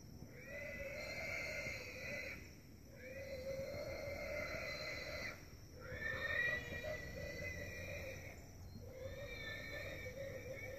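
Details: A pig hidden in brush near a coffee farm in Holualoa, Big Island, Hawaii, gives long, shrill, harmonic squeals of about two seconds each with brief pauses, as a dog on a walk listens.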